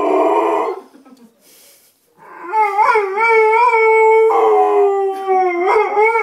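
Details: Pet Bullmastiff bitch howling to greet her owner, a short rough burst, silence, then long wobbling howls with stacked harmonics, pitch swelling and dipping in waves, ending on a rising inflection.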